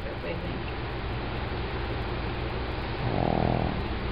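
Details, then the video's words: Female pug Emma asleep and tired after a long social day with new friends Jack and Roxy; low, rapid rhythmic snoring runs throughout, swelling into a louder rattly burst near the end, with a quiet voice. "Snoozing, Snoring Pug"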